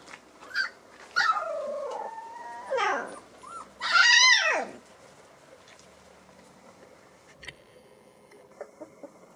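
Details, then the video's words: Day-24 Alaskan Malamute puppies on early explorations give a few drawn-out whines, one long sliding cry near the middle, then mostly quiet with faint clicks and rustles. "Premières explorations chiots Malamute de l'Alaska"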